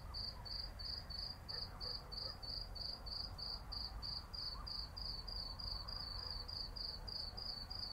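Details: Cicadas heard at night in the city in summer, producing a steady train of shrill, high pulsed notes at a quick regular rhythm, backed by a low continuous city hum.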